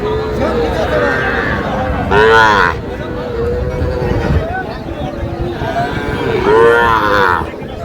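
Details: Young Sahiwal cattle at a busy Aftabganj market in Pabna, held Saturdays and Tuesdays: two loud, harmonic bawling moos near 2 and 6.5 seconds rise above constant talking and background bustle.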